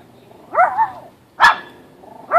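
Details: Chihuahua playing in a backyard on a sunny day, with a Chihuahua/Pomeranian mix also present: a bending, yelping bark, then a short sharp bark, and the start of a third at the end.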